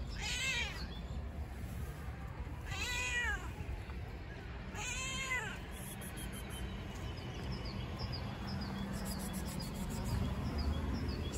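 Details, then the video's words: Fluffy homeless cat fed outdoors, uttering three clear, bent meows roughly two seconds apart, followed by faint shorter mews, with steady low background hum and distant outdoor noise. "The Fluffy Cat Meows Funny"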